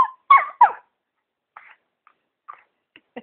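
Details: A pet dog talking to its owner: two short, whiny yelps close together, then a few faint, brief squeaks spaced about half a second apart, with the owner murmuring nearby.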